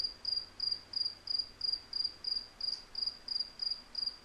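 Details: A cricket gives high, pulsed chirps at an even pace of about one and a half per second, with faint background hiss.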